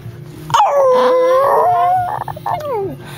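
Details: Pet dog singing along to flute and piccolo music, a drawn-out howl that starts high, dips, then rises and holds before falling away in a sliding tail, with a faint musical tone underneath.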